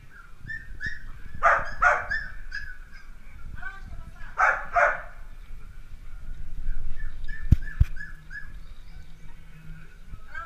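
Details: Dalmatian puppies at play give short, high yapping barks in two quick clusters, each a pair of sharp yelps, with quieter squeaky calls in between over a low background rumble.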